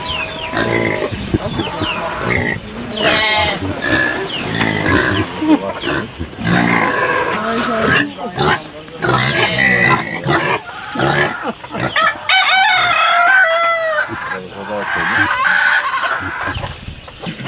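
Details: Kunekune pigs at feeding time on a sheep farm on Texel, late September 2019, give loud harmonic squeals and grunts in bursts, broken by brief pauses, with human voices mixed in.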